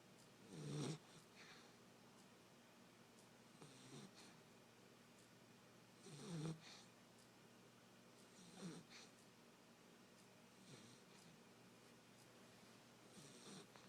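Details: Basset hound puppy, nine weeks old, sleeping soundly on a couch inside, giving irregular snores: a few louder rasping snorts several seconds apart with softer breathy snuffles between, in a quiet room.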